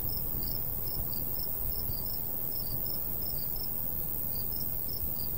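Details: Countryside crickets in summer near golden wheat: a row of sharp high chirps, often in pairs, partly drowned by loud low breeze noise.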